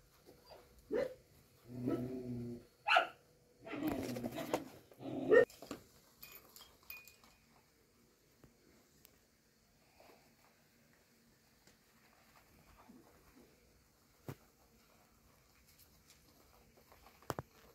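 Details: A dog gives a short burst of harsh, throaty barks and whines within the first six seconds, some voiced with a low harmonic stack, then near-quiet room tone with a few faint clicks follows.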